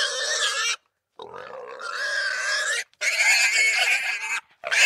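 A wild boar gives harsh, raspy squealing grunts in three long bursts separated by brief silences.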